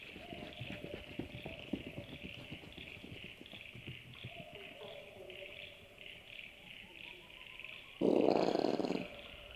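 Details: A common brushtail possum (Trichosurus vulpecula), a common night sound in the Australian bush and suburbs, gives rough throaty coughs and growls ending in a loud harsh burst.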